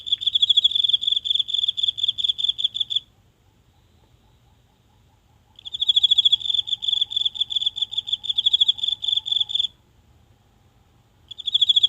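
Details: One insect singing from the grass in a small garden on a quiet night, phone brought close to record. Shrill pulsed chirping in bursts of about three to four seconds with pauses between, plus a faint lower ticking line; no other sounds.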